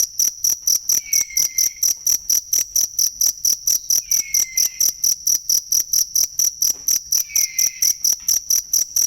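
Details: Cricket chirping, used as training material for songbirds: steady, evenly spaced high-pitched pulses about four per second, with faint downslurred whistles appearing three times in the background.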